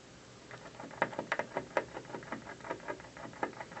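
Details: Squirrel on a windowsill gnawing at an office building in the afternoon: rapid, irregular dry scraping crunches, roughly two or three per second, with sharper louder bites mixed in over a quiet indoor background.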